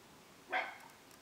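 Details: Toy Poodle named Yoyo, playing with two new friends; one short, sharp bark about a tenth of a second long, with a few faint clicks afterward in a quiet room.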